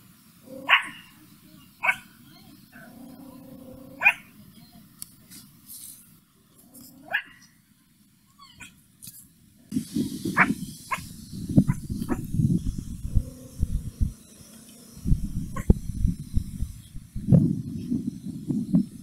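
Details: Puppy Mimi barking angrily at a stranger, first a string of single sharp yaps a second or two apart, then several quick barks buried in loud low rumbling noise.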